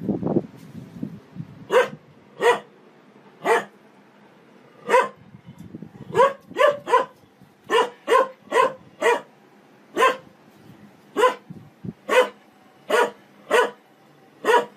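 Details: Dog barking in a funny-dog compilation: sharp, clipped barks repeated steadily, about twenty across the stretch, mostly single with some quick doubles, over low background hum and a brief rustle at the start.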